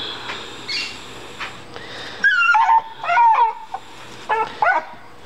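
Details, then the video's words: Female dog crying after finding a big rock in the yard, as she does every time she finds one; high, wavering whines in several short bursts, some sliding down in pitch, over a quiet household hiss. "DOG CRYING OVER A ROCK"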